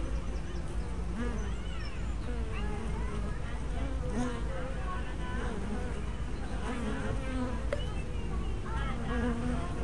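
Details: Honey bees at a hive entrance, filmed with a spy camera and fisheye lens: a dense hum of many wingbeats, with overlapping buzzing tones that rise and fall as bees fly past, over a steady low drone.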